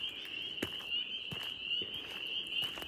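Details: At a lakeside campsite on Gun Lake in Ontario's Haliburton Highlands, around sunset, a dense chorus of spring peepers blends high piping peeps into one steady shrill ring. A barred owl hoots far off, and soft footsteps thump nearby.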